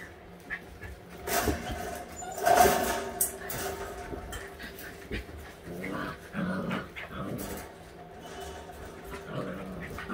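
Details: Playful all-white husky puppies, eight weeks old, trading low scrappy growls and brief whines in bursts, mixed with scuffling, thumps and some background voices.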